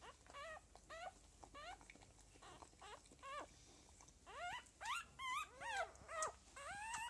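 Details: Several Lagotto Romagnolo puppies of a second litter, recorded 6 January 2015 at a home breeder, whine in a busy run of short, rising, squeaky cries, roughly two per second, louder toward the end.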